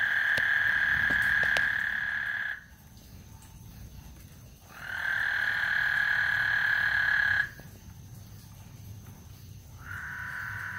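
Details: Chorus of frogs singing before a thunderstorm at Lake Houston, a continuous buzzy trill held for about two to three seconds, falling silent, then starting again, over a low rumble.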